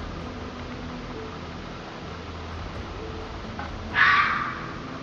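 A red fox gives a single harsh, raspy scream, about half a second long.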